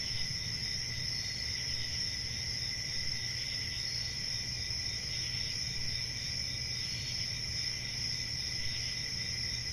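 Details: Steady cricket chirping forms an even, high, ringing drone, paired with a fainter lower trill and light low-frequency background noise.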